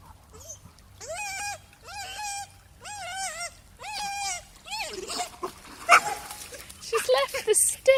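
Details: A pet dog swimming makes a strange sound as its owner runs away: a run of five short, high, wavering whines repeated about once a second, followed by splashing water and a person calling the dog.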